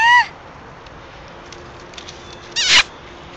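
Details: Kaeda, a female Basenji, greets her owners after a weekend away with excited high yodel-like calls: a sharp rising-falling cry at the start and another harmonic-rich burst near the end, with quiet room noise between.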